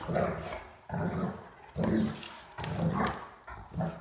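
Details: Short gruff woofs and grumbles from a Great Dane, Mikey, at play indoors with a puppy named Ellie during a hide-and-seek game around a coffee table; five low harmonic bursts spaced under a second apart.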